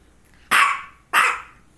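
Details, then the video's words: Female dog barking around focal seizures, one just before and another shortly after; two sharp, loud barks about half a second apart, each ending in a short fading tail, in a quiet room. "Barking and two focal seizures"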